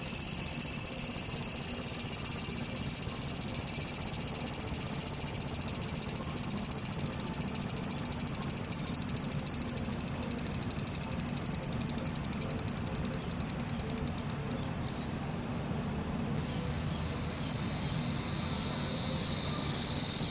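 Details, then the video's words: Cicadas in Japan, several overlapping high buzzing calls, one pulsing rapidly and then stopping midway while another rising drone takes over, forming a continuous loud insect chorus. "cicada sound Japan,cicada buzzing sound,cicada noise,cicada swarm,cicada scream"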